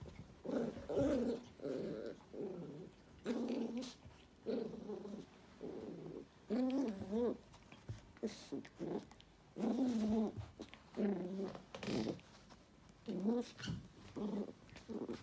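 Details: Toy poodle growling in short, harmonic bursts with a wavering, rolling pitch, repeated roughly every second with brief pauses between them; no other clear sounds.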